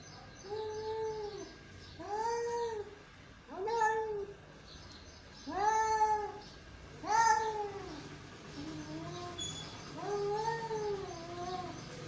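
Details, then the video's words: Yowling exchange between two male cats, a run of arched, drawn-out moans about every one to two seconds, some louder and higher, others softer and shorter. "Two Male Cat | Cat Voice"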